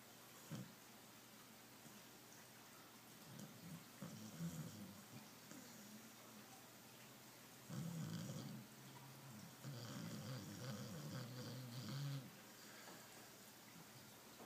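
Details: Deep, rattling snores from Pablo, a roughly twelve-year-old Border Collie cross rescued from a regional RSPCA pound, come in clusters, growing louder and more continuous after eight seconds over a faint background hiss.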